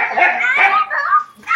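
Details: Sheru, a pet dog tied up while the family loads bags into the car, cries because he wants to go with them: loud, wavering, high-pitched whines in one continuous stretch, then a brief pause and a fresh whimper.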